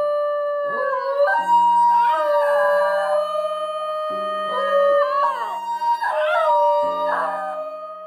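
A Basenji gives drawn-out, yodelling howls that warble and bend in pitch, over soft background music.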